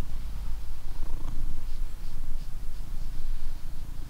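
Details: Blue British Shorthair named Coco out on a walk after eating, giving a continuous deep, rhythmic purr with no other clear sounds.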